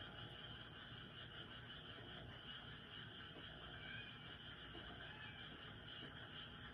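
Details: Frogs croaking noisily through the night in a dense, constant chorus; layered buzzy trills run without a break, with a few brief rising notes standing out over a low hum.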